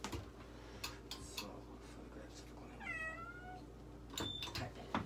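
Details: Russian Blue cat named Shion at an animal medical centre in Nagoya, Japan, during an X-ray examination: one short downward-sliding harmonic meow near the middle, amid quiet clinic handling clicks, knocks and a soft background hum.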